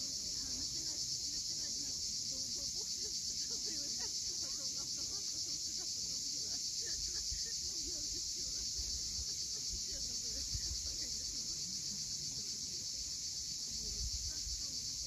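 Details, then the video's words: Cicadas at sunset on the steep coast of Cape Fiolent, Crimea: a dense, unbroken high shrill buzzing drone fills the clip, with soft low wash of sea waves beneath and faint scattered bird chirps. "Cicadas at sunset."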